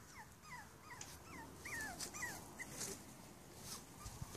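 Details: Whining of five-week-old Cavalier King Charles Spaniel puppies: a run of high, downward-sliding squeaks, some overlapping as several pups call, fairly evenly spaced for about three seconds, with soft background noise.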